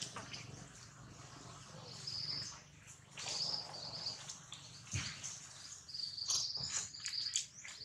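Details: Baby monkey Jinx crying loudly after being bitten hard by another monkey, Jade: thin, high squealing cries in strained bursts, strongest near the middle and again toward the end, over a soft low rumble and scattered clicks.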